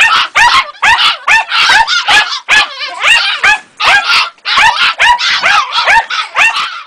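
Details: Two-and-a-half-month-old Jagdterrier Ega yipping insistently. A dense run of shrill, high barks and squeals tumbles out at an uneven pace, with a few drawn-out whining notes mixed in.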